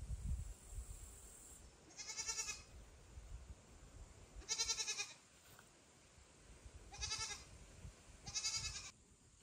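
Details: Loud calls aimed at mother cat Kira, with foster kitten Ginny and kitten Leo nearby; four strong, arching, harmonic-rich cries about two seconds apart over a quiet background.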